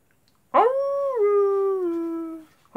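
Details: Wolf howling at night: one long, clear harmonic tone that starts high, steps down midway and holds steady before fading, with a brief second howl beginning at the end.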